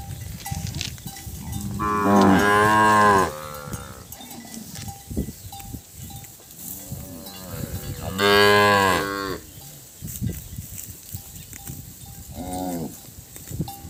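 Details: Separated calves calling for their mothers: two long, loud harmonic bawls about six seconds apart, plus softer shorter moos and a brief final call, a steady tone in the background.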